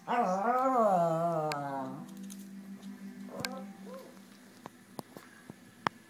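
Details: Pet dog indoors scratching his rear on the bottom of a coffee table, giving one long wavering moan-like whine for about two seconds, then quiet scuffling and faint soft sounds with occasional taps.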